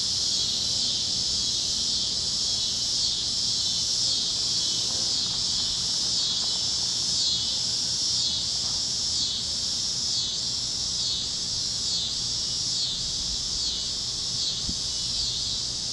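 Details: Evening cicada chorus over Kansas farm fields at sunset on the great plains, among other critters: a dense, shrill high drone swelling and fading in regular pulses, roughly two to three per second, above a soft low background.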